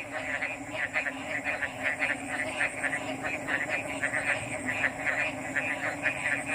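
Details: A dense frog chorus of overlapping mid-pitched croaks, blurred together with no clear rhythm, over a constant thin high whine and a faint low drone.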